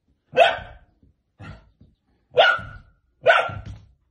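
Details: A playing dog barks four times in about four seconds: loud, sharp, mid-pitched barks, the second one softer, in an otherwise quiet setting.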